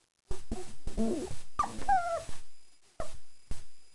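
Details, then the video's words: German Shepherd pups four weeks old, just after eating, give a run of short yips and wavering whines. The calls bend up and down in pitch, then a few clipped single yelps follow. "German Shepherd puppies 4 weeks"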